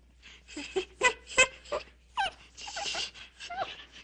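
A monkey gives a quick series of high squeaks and chattering calls, some tonal and some harsh.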